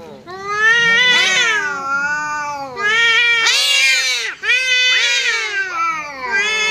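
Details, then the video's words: Two cats squaring off as a visiting cat arrives, a continuous duel of loud, quavering caterwauls that swell and bend in pitch, one voice overlapping another with harsh peaks. "Kucing Berantem!! Kedatangan Tamu, KucingKu Langsung Pasang Badan dan Adu Mulut"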